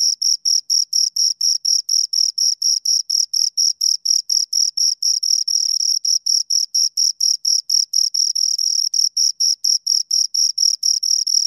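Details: Two crickets keep up a fast, even stream of shrill pulses, some four per second, with a few pulses slurring together midway. The stream runs for over eleven seconds against total quiet.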